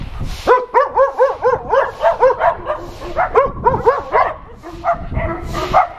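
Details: Shelter dogs at an adoption center barking together at a visiting TV crew; a chorus of overlapping, arched, harmonic barks repeated rapidly, several voices at once with some higher yips.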